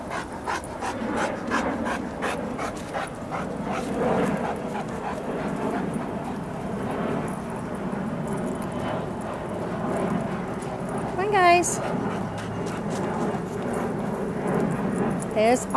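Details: Steady breathy panting from a pack of dogs out walking by a lake (German Shepherd, St. Bernard, Golden Retriever, Great Dane), with pulsed breaths throughout, a short wavering whine near the middle, and a man's voice calling to them.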